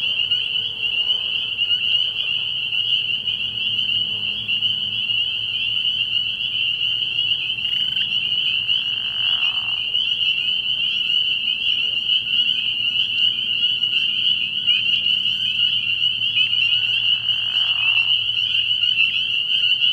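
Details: Early-year frog pond at night with a dense chorus of spring peepers: a constant high ringing of overlapping peeps, interrupted by two brief lower raspy bursts around the eighth and seventeenth seconds.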